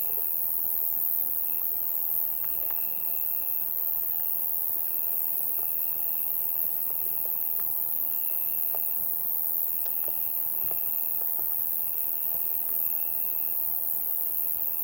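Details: Insects calling on a summer night: a steady shrill hiss high overhead, with a lower buzzing trill that starts and stops in bursts of about one second, roughly seven times, and faint scattered clicks beneath.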